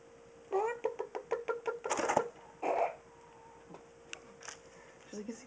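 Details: Two pet guinea pigs, Fanfeat and Navy, call while wanting food indoors: a rising tonal squeal followed by a quick run of short clipped squeaks over about a second, amid a person talking and a steady background hum.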